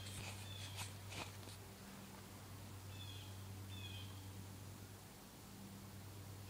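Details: A large cluster of wasps on a small goldenrod bush makes a low, steady, many-winged hum, with a few faint high chirps above.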